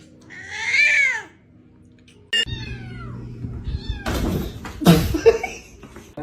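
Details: Cat gives a loud, drawn-out wavering meow, then after a pause several shorter descending mews, with rustling, clattering and thumps toward the end.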